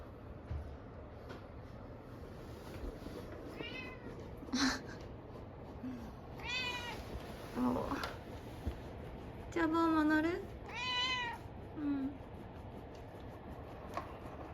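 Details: Domestic cat Chabo, jealous because its owner is cuddling another cat, Myu, gives several drawn-out meows that rise and fall in pitch, with short softer chirps between them, over a low indoor hum and a woman's quiet voice.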